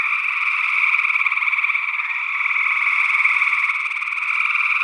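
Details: Gray tree frogs in full chorus, early June 2022 in Northwest Wisconsin, recorded in ORTF stereo. Many trilling calls overlap into a constant buzzing wall of sound that swells slightly midway. Another unidentified frog species is heard among them.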